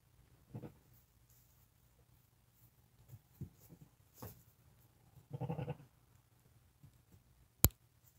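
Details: Newborn lambs, born the same day and under five hours old, crying while walking and nursing with their mother; soft short bleats early on, then a longer, louder harmonic bleat near the middle, ending with a sharp click.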